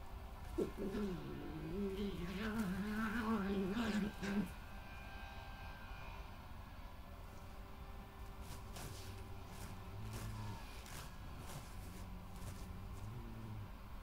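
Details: Badgers on 20/05/2018: Hattie, a dominant resident female, confronts an intruding badger on her patch, scraping the ground before a scuffle, with most growling from the newcomer. A wavering, harmonic, low growling call lasts about four seconds, then fainter low tones over a steady hum.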